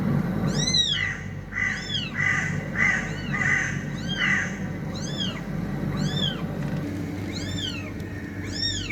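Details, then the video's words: Cats, described as fighting: a rapid run of short, arched, high meows, about a hundred a minute, with blurred overlapping calls in the first half suggesting more than one cat, over a steady low hum. "TRY THIS SOUND ON YOUR CATS"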